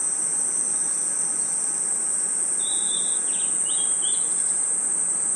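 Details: Crickets and other insects at night in a forest: a steady, shrill, high-pitched insect drone runs throughout, with a few short, bird-like chirps and whistles midway.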